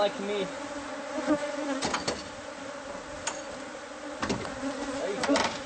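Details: Honeybees from a hive hidden inside the walls of a newly bought house, disturbed during removal; a steady low buzzing hum with a layered drone, broken by sharp knocks and clicks of work on the wall.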